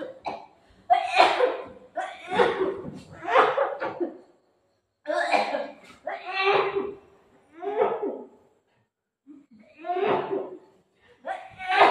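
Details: Indoors, people talk in bursts with laughter and coughing, separated by short silences; no animal sounds are heard.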